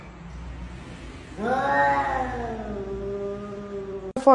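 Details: Domestic cat producing a single long, sliding yowl that rises sharply then slowly falls and fades, held for nearly three seconds, ending in an abrupt click.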